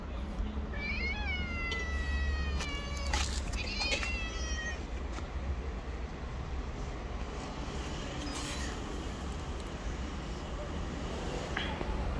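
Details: Hungry homeless stray cats, a black cat and a companion, living on the street, giving a burst of high harmonic meows in the first seconds, then quieter, over steady low traffic rumble and broadband street noise.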